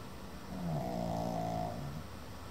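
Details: A sleeping male Pekingese, almost seven months old, snores with a low, rattling, drawn-out breath lasting over a second.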